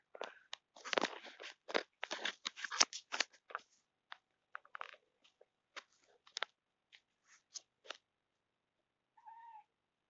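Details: A cat that has seen a fly makes odd noises indoors: rapid clusters of dry, clicking, chattering bursts for several seconds, thinning to sparse single clicks, then a short tonal mew-like call at the end.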